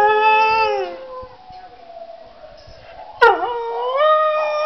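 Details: Domestic dog howling at a laptop: long harmonic howls gliding downward, a quieter wavering stretch, then a sharp yelp-like burst before the howl rises and holds steady again.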